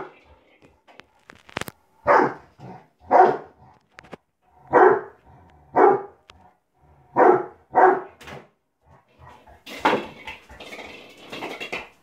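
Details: Labrador Retriever named Bob, a male pet dog, during his usual morning game of football: a series of about eight short, loud, deep barks spaced roughly a second apart, followed by scuffling and thumping noise indoors.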